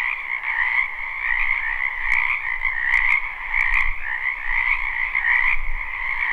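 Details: Frog chorus from a spring wetland near a home, live: rapid overlapping trilled croaks in a continuous band, several sharp clicks around the middle and a low rumble underneath.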